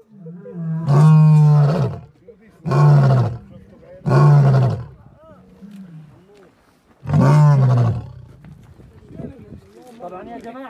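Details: A lion roars nearby, giving deep, rumbling roars about a second long each in a slow repeated series.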